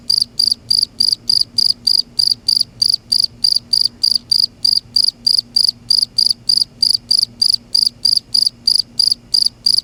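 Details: At night in Kerala, a cricket chirps in steady, high, ringing bursts, about three or four each second.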